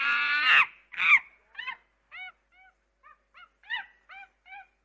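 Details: Two harsh, strained screeches from a monkey open, followed by a rapid irregular run of short clipped harmonic chirps.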